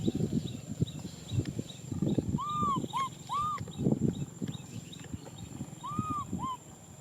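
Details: Crying for a hug, baby macaque Nui Simon gives a quick series of arched, whistled wails, mostly in pairs, over loud low thumping and rustling handling noise.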